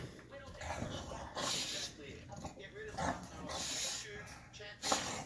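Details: An English Bulldog throws a fit after having his face wrinkles cleaned and treated with wrinkle cream, with harsh snorts, huffs and raspy grumbles in bursts.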